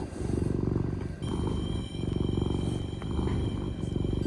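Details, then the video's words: Domestic cat purring while kneading, making biscuits: a steady, low, finely pulsed rumble with short breaks near the middle, plus a faint high electronic whine running throughout. "Cute cat purrs and biscuits montage"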